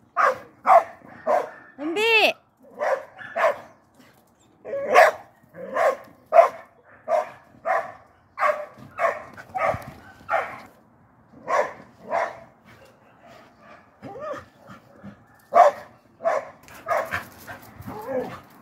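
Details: Border Collie left at home while its partner is taken out for a walk, calling in distress: a long run of short, harmonic yelping barks about every half second, with one wavering rising-falling whine near the start.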